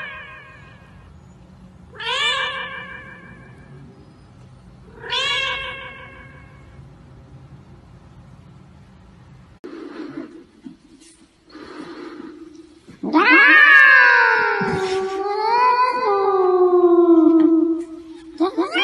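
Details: Cats meowing into karaoke microphones: two short bright meows about three seconds apart, then faint sounds, then a loud long meow that slides down and wavers before levelling off.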